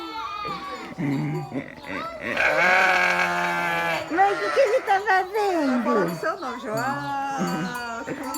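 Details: A sheep lets out a sustained, tremulous bleat of nearly two seconds near the start. Talking voices continue throughout, with short vocal bursts afterward.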